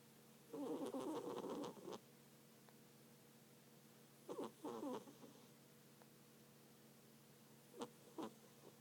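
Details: Sleeping house cat snores in uneven rasping bursts, a long fluttering breath followed by shorter choppy ones, then a couple of faint clicks, in an otherwise quiet room.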